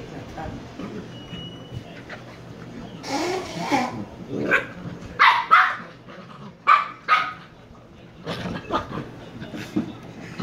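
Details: Shiba Inu pup from Kyno and Niro gives a scattered run of short, sharp barks and yips in the second half, irregular and mid-pitched, with quiet room background between bursts.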